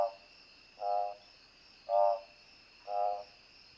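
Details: An Odontophrynus juquinha frog (Odontophrynus juquinha) gives short, buzzy, trilled notes about once a second over a steady insect drone.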